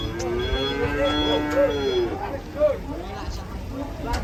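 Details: Large domestic cow, enraged as it is about to be sold, giving a drawn-out low moo with a rich harmonic stack and slight wavering. Human chatter and background clatter sound underneath.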